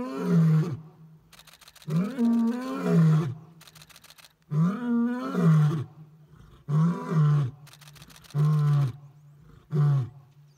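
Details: Male lions in Lower Zambezi National Park, Zambia, roaring on a morning safari: a series of six deep grunting roars, each shorter and spaced one to two seconds apart, low and rumbling, with faint clicking between.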